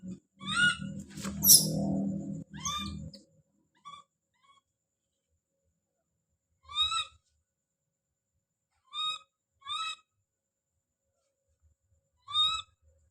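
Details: Baby monkey Don calling out: a cluster of tonal cries and one shrill scream over muffled rustling at the start, then single short clear cries spaced a second or more apart in quiet.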